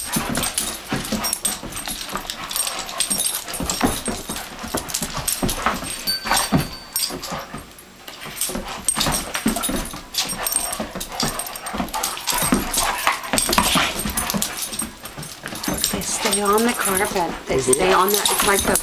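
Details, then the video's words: Indoor wrestling match of two adopted Doberman Pinschers, a young female and an older male, on a carpet; continuous scuffling, panting grunts and yelps, with a woman's voice briefly heard. "Doberman Pinscher - Thursday Night Smackdown"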